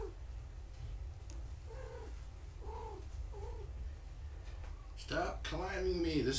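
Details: Domestic cats at a foster home: Gaia's young kittens during a weigh-in, eating real food now, their mother Gaia nearby. Three short, arched, mid-pitched mews come about a second apart, then a person talks loudly over handling noise.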